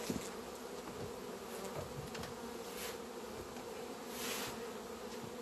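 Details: Honey bees from a queenless colony "crying" at a hive entrance in February, asking to be let inside; a steady low droning hum of beating wings with soft scattered clicks and faint background hiss.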